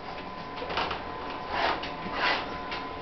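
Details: Steady indoor ticking and clicking, like a printer or small machine, with faint muffled voices in a small room; no animal sound.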